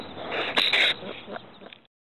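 A ringtail gives a harsh, hissing, squealing burst that peaks midway through, then fades into rough, breathy scratches over about two seconds.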